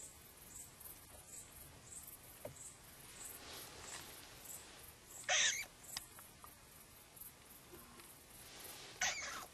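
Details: Upset edible dormouse, startled while looking out of a hole, utters two short rasping, noisy bursts several seconds apart amid soft high-pitched ticking and quiet rustles.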